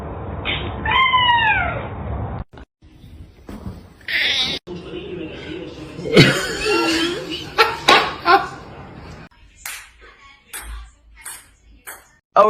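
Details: Kitten crying with one clear descending meow at the start, then a stretch of mixed household clatter, voices and scattered thumps.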